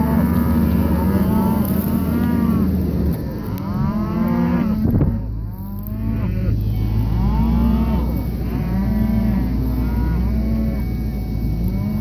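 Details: Red Angus cattle pairs in Kansas; several animals moo repeatedly in long, deep, drawn-out calls, some rising and falling, overlapping one another with a low engine-like rumble beneath.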